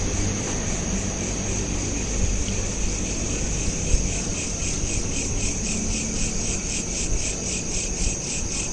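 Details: Night chorus of crickets captured with a smartphone, looped: rhythmic high-pitched pulsed chirping continues throughout while a heavier low rumble like distant traffic or aircraft sits underneath.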